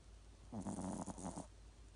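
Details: Single drawn-out snore from a sleeping Yorkshire Terrier, a small dog with a big snore: a rattling, pulsed rasp lasting about one second against faint steady hiss.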